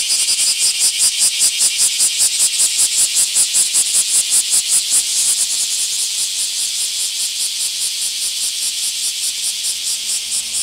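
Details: Bear cicada calling during a mass emergence in an Akashi park, Japan: loud rhythmic shrill pulses, about two and a half per second, fading slightly after five seconds while a steady high buzzing chorus continues behind.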